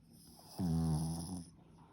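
A Boston Terrier snores with a low, rumbling rasp lasting about a second.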